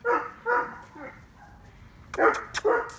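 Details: Eight-week-old Neapolitan Mastiff puppy Mayan, guarding the yard at night, barks at his mother, whom he takes for a stranger. Filmed by phone on 26 July 2019: two loud bark pairs separated by a quiet gap, with faint human voice.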